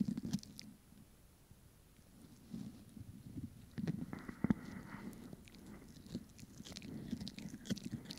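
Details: Pomeranian biting and crunching a snack, recorded for ASMR: bursts of crisp crunches and soft chewing separated by short lulls, plus a faint brief hum near the middle.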